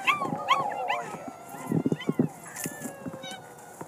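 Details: Six-week-old puppies out in the snow, a few high arched whines early on, then a burst of short low snuffling and scuffling sounds and a faint whine near the end.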